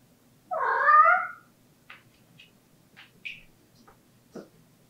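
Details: A single plaintive harmonic meow from Latte, the house cat known for crying at doors, followed by faint scattered clicks and taps in a quiet indoor room.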